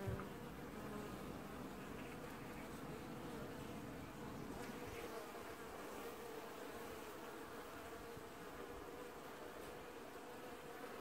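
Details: Steady massed humming of honey bees washboarding on a hive in an apiary during early July 2019, an even droning buzz with faint tonal bands throughout.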